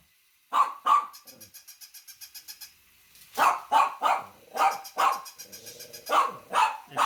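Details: Dog barking loudly indoors in sharp irregular barks, two early then a rapid series of six after a pause, with a train of soft rhythmic pulses ringing between them.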